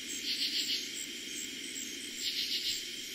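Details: At night in eastern Pennsylvania, on the first night of summer 2021 that katydids were heard, a katydid gives raspy, pulsed bursts of song over a steady, high chorus of crickets.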